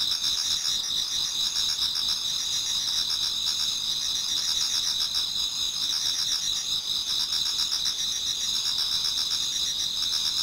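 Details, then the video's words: Before dawn in autumn, numerous insects sing together in a Japanese garden, a continuous high metallic buzz layered with repeated pulsing chirp trains, steady and unbroken throughout. "Autumn Insects voice Towards dawn"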